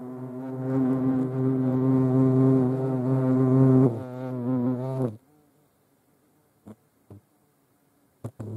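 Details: European hornets (Vespa crabro) give a deep, steady droning buzz for about five seconds, then quiet with faint taps.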